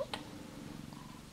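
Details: Australian Mist mother cat with her first-born kitten gives a low, even, pulsing purr, with a short click at the start.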